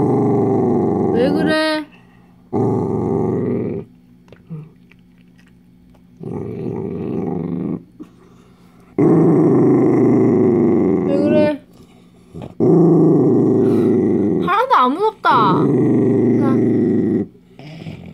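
A dachshund growls in long, rumbling bursts while guarding a chew, with a person talking in between.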